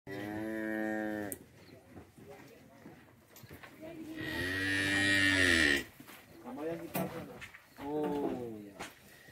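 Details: Tame cows in a cattle shed lowing: a steady, deep harmonic moo of about a second, then a louder, drawn-out moo lasting nearly two seconds, followed by shorter, rising-and-falling moos near the end.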